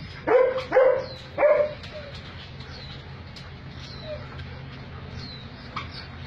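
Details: Alaskan Malamute dogs during mating: three loud whining yelps in the first two seconds, each a short wavering cry, followed by quieter faint whimpers over low background hum.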